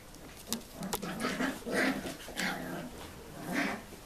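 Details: Six-week-old Tibetan Terrier puppies at the Tingsha Bells kennel in Hungary, born 2 November 2015, giving soft repeated whimpers and squeaks, several short rising calls in a row with faint rustling in between.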